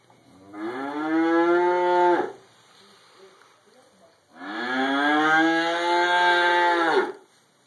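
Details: Cow munching hay in a barn, with other cows mooing nearby, recorded on a Droid X2 mobile camera: two long, loud harmonic moos, each about two seconds, the second slightly longer, separated by a quiet pause with faint barn noise.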